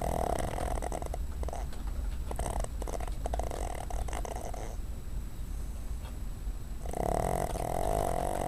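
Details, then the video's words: Dozing on a desk, a female dog called Cuddles lets out rough snuffling snores, a short one near the start and a longer growly breath near the end, with quieter rustly breathing between. "Cuddles Snoring"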